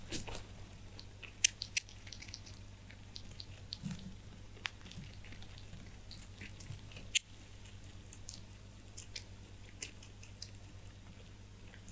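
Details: Pet rabbits chewing hay indoors: soft crunching and crisp clicking bites with a low steady hum, and no animal voice heard.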